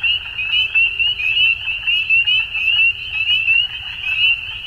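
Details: At dusk in springtime Ontario, Canada, a crowd of frogs gives rapid, high, slurred-up peeps that blend into one shrill sheet of sound, pulsing in quick beats, with a faint brief low tone and distant rumble.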